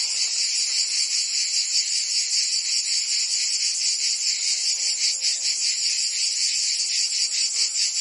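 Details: Summer chorus of cicadas in Provence, France, a loud shrill buzz held without break, lightly throbbing in steady pulses, with a faint low murmur beneath it.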